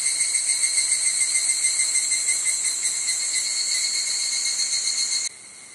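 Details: An evening cicada (Tanna japonensis) sings a shrill, ringing, steadily pulsing trill that cuts off abruptly, on a cloudy evening of 31 July 2011 between 18:00 and 18:30 on a hiking course at Hokyousan, Tsukuba, Japan.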